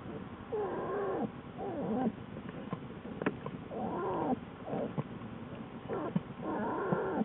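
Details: Lily the American black bear's den with her new cubs, February 2013: repeated harmonic wailing calls that bend up and down in pitch, several short cries in quick succession, with faint rustling and clicks between them.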